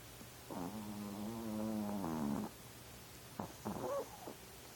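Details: Pet chihuahua snoring at night indoors: one long, droning, tonal snore of nearly two seconds, then two short breathy snorts.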